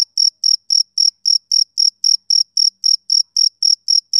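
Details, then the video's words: Male cricket calling on a summer evening with crisp, piercing chirps spaced evenly, close to four each second; the background is completely quiet. "Cricket Chirping Sound Effect"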